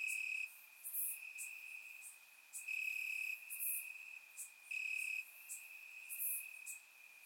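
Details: Warm summer night in Bulgaria, crickets chirping in the grass: an unbroken high-pitched trill that strengthens in pulses lasting about half a second, with bright, very high clicks repeating roughly every two and a half seconds.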